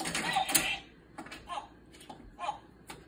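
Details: Short spoken words from a dog's talking buttons, each followed by a quiet click, in a small indoor room.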